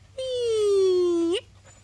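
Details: Husky named Whiskey, a pet wolf dog playing with a bird, gives one drawn-out tonal whine lasting over a second. It slides slowly downward in pitch, then flicks up sharply at the end before stopping abruptly.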